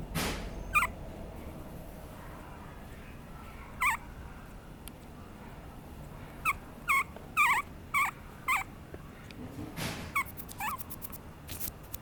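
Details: Papillon puppy named Muumuu calling in short, high, rising-falling whines, single and in quick clusters of two or three, with quiet room noise and a few clicks between.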